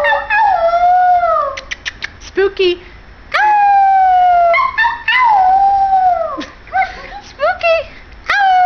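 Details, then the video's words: Little white Pomeranian boy howls with his human companion: sustained wavering howls that dip and fall, broken by short clipped yips, with the owner's voice joining in between. "White Pomeranian howling with family"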